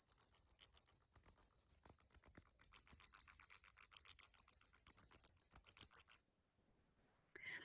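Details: Female big brown bat (Eptesicus fuscus), stressed while being handled by researchers, gives a rapid string of shrill, high-pitched distress chirps, several each second; not echolocation.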